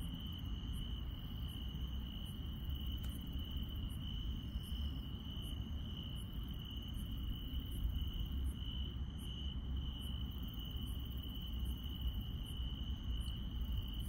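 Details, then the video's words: Nighttime countryside insects: a continuous high, even trill, with a fainter very high chirp pulsing about every seven-tenths of a second over a steady low background hum. "시골 밤의 정겨운 풀벌레 소리"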